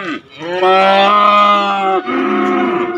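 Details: Calves and young bull cattle in Indonesia, offered for sale. A loud, long, steady moo rings with many clear harmonics for over a second, preceded by a short falling grunt and followed by a second, slightly lower drawn-out moo.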